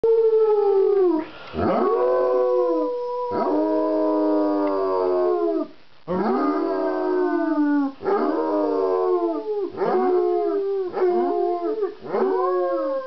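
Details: A 3-year-old male German Shepherd, who howls on cue and at sirens, howls in drawn-out, rich sliding notes that swell then fall in pitch, later phrases shorter and broken, ending in quick yelping wails.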